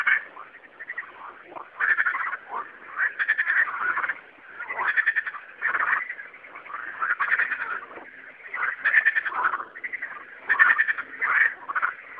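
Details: A dense night chorus of singing frogs, many overlapping croaking calls pulsing in waves.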